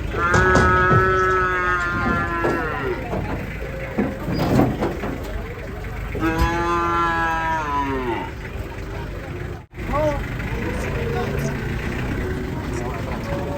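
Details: Cattle being unloaded from a truck, giving two drawn-out, harmonically rich moos that sag in pitch near the end, the first about two seconds long, amid clapping, shouting people, music and vehicle noise.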